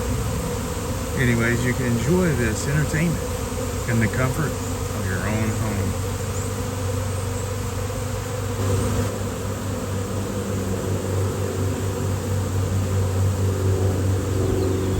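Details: Honeybee swarm that appeared out of nowhere in fine weather before a beekeeper came to rescue the bees. A continuous deep buzzing drone runs throughout, with human voices talking over it early on.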